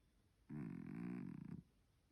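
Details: Bokman, a sleeping three-legged pet cat, gives one drawn-out snore of about a second, a steady buzzy low rumble with rich overtones that breaks into rapid flutter pulses just before it stops. The room is otherwise quiet.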